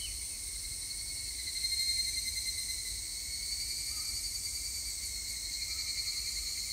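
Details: Evening cicadas (higurashi) sing on 3 August 2021, a high, ringing, metallic chorus that holds steady throughout.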